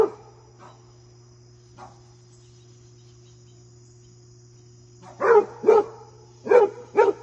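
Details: Basset Hound goofing off and playing with deer: a few soft, faint sounds, then four loud, short barks in two quick pairs near the end, over a steady low hum.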